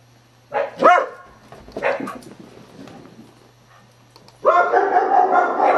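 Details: A beagle barks at sound effects played from a computer, giving a few sharp, loud barks, followed by a steady electronic tone.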